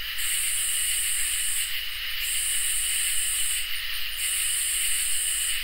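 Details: On a summer night, crickets and katydids fill the air: steady high trilling runs underneath while three long, hissing, very high buzzes sound in turn, separated by short gaps.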